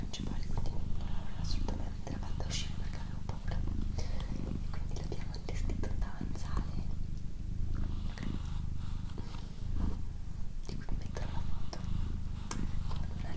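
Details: Doroti, a female pet cat, purring indoors in a small room: a steady, low rumbling drone running almost without break, with soft whispering and faint rustling layered over it.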